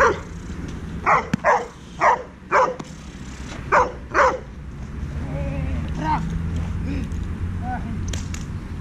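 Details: Heusty, a 10-month-old Dobermann working with a dog trainer, gives six sharp, loud barks in two quick bursts over about three seconds, followed by quieter low vocal sounds over a steady background hum.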